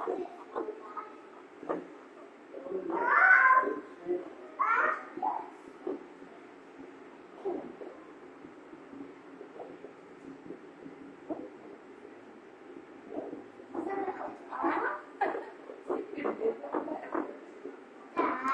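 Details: Meerkats (Suricata suricatta) at Butterfly World, Stockton give short, nasal, mewing calls in scattered bursts, with faint background chatter.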